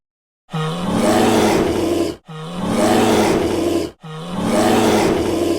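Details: Brown bear giving three loud, harsh, drawn-out roars, each lasting under two seconds with a steady low buzzing tone beneath a rough rasp, separated by short silences.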